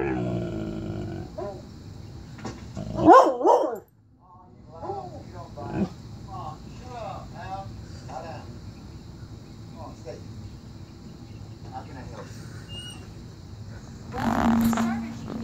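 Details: An angry German Shorthaired Pointer, reacting to a bloodhound on a television show, gives a sharp bark and then short whining, growly yelps, with the television sound behind.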